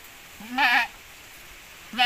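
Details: Goat from a Javanese and Boer crossbreeding: one loud, nasal, quavering bleat, then a second bleat starting at the end, against a quiet background.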